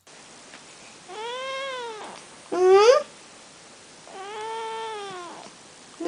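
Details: Birman cat indoors giving three drawn-out meows, each about a second long, arched in pitch with rich harmonics; the middle one is shorter, louder and rises sharply at its end.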